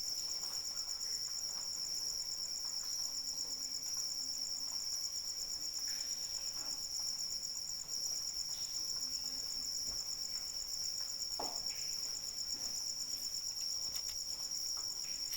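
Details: Crickets heard in the rain, their shrill, finely pulsed trill continuous and unwavering for the whole span, backed by a low, even rain hiss and occasional soft splashes.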